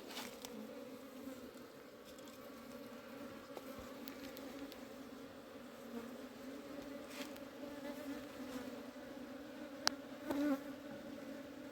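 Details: Honey bee colony in a hive being cleaned by a beekeeper during summer. A steady, low droning hum holds two even tones throughout, with faint clicks and a short louder knock near the end.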